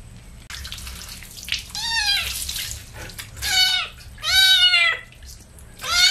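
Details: Kitten being bathed with baby shampoo, giving three loud, high harmonic meows that rise then fall, spaced roughly a second apart, over a faint low hum and some splashing water.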